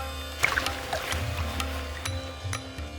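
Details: Sustained background music with steady low tones and soft sliding notes runs over a busy ambient texture, with no animal call standing out.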